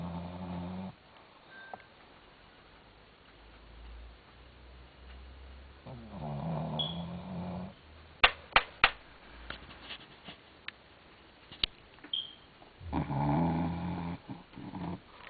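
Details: Rokie, a pet dog, snoring while asleep at night indoors: three long, rasping, low breaths about six seconds apart, with sharp clicks and faint rustles in the quiet gaps between them.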